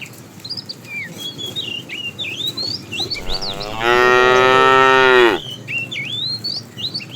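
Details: A herd of tame cows roaming a road looking for food; one cow gives a single loud, drawn-out moo while small birds chirp in the background.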